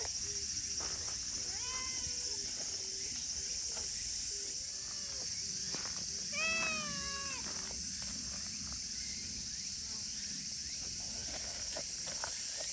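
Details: Clingy silver tabby street cat in Japan, cared for by local TNR volunteers, meowing a few times: a short mew near two seconds then a longer wavering, harmonic meow around six seconds, against constant high insect drone.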